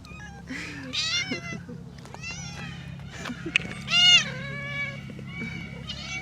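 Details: Talkative stray female cat meowing repeatedly outdoors, several rising and falling harmonic meows, one loud drawn-out meow near the end, with a person's voice and low background hum.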